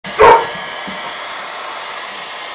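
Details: Joy, a 16-month-old female Rhodesian Ridgeback indoors, attacking a hair dryer before fleeing to the next room: one sharp, loud bark near the start, then only the steady whirring hiss of the running hair dryer.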